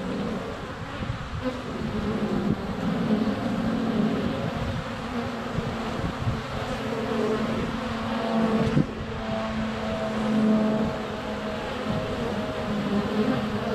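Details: Honey bees swarming around a hive entrance in February sunshine, recorded on a GoPro Hero 7 Black: unbroken humming drone with passing higher whines of nearby bees and a sharp tap near the middle.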